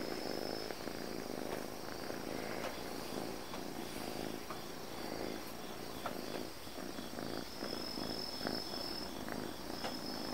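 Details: Affectionate calico cat purring, a continuous soft low-pitched rumble with gentle regular pulsing throughout, quiet room tone and a faint steady high tone behind it.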